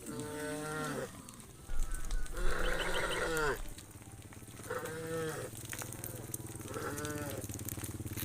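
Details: Hundreds of tame cows returning to their farm pen at evening; repeated drawn-out moos, each about a second long, overlap from several animals, some bending upward at the end, over a low rumbling background.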